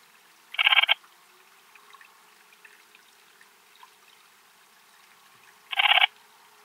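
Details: Eastern Mountain Bush-cricket (Antaxius difformis) at Timmelsjoch, Italy, on 26 August 2022: two short, hissing, broadband chirps about five seconds apart, each roughly half a second long, with faint ticking in between.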